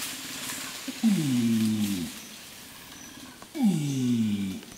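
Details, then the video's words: Wodan, an adult flanged male Bornean orangutan in peat swamp forest at Tuanan, Central Kalimantan, gives a long call meant to repel rival males and attract females: two deep pulses that slide downward, each about a second long, over steady forest insect hiss. "Flanged male orangutan long calls"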